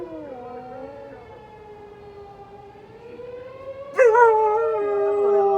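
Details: Pet dog howling in response to a tornado siren that sounds every Saturday around noon; a steady, slowly gliding siren tone fills the first four seconds, then a loud wavering howl breaks in and carries over the siren to the end.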